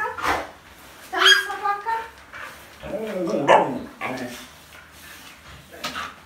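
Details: Husky named Vilma, indoors, meeting a baby up close for the first time, happy yet gentle and careful; two bursts of harmonic, falling whine-like notes, the second lower and rougher, amid human voices in a small room.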